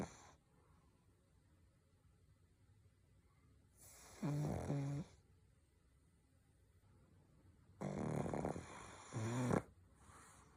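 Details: Snoring pug: three separate snorts of rough, rattling inhaled breath, near four, eight and nine seconds, each lasting about a second, with quiet background in between.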